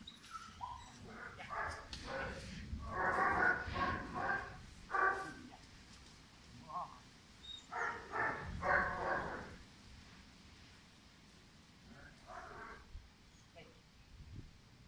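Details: German Shepherd puppy Pirat, five months old, bred for sport or police work, giving several loud, harsh barks in clustered bursts, with quieter gaps and background voices between.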